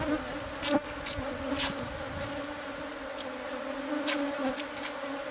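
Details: Hive of bees discovered inside the walls of a new home, being taken out by pest control: a constant layered hum, with brief knocks and rustles over it.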